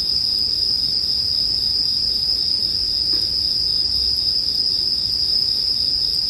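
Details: Steady, shrill bell cricket chorus ringing evenly from start to end, with only a faint soft crackle of a campfire in the background, calm sleep ambience.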